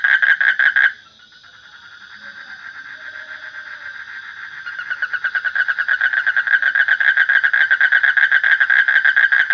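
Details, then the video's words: A loud frog call cuts off after a second. A soft high hum and faint pulsing follow, then the calling builds back up into a fast, loud, steady stream of nasal pulses. "Suara Kodok / Frog Sound"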